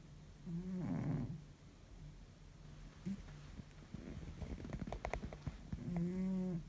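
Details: Exhausted pet cat deep asleep, giving a low rumbling snore at the start and another near the end, with soft irregular clicks and rustles in between against a steady indoor hum.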